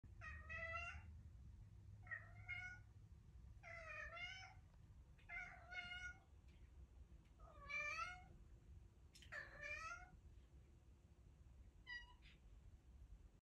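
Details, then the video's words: A pet cat vocalising after eating, a string of about eight drawn-out, wavering meows spaced one to two seconds apart, each rising then falling, ending on a short final note, in a quiet indoor room. "What he says after he eats Part 3. Love the final note of his song."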